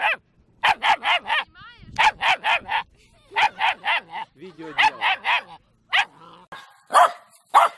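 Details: Dog from a barking-dog compilation letting off quick runs of three or four sharp, bright barks, with brief gaps where a human voice and other sounds come through.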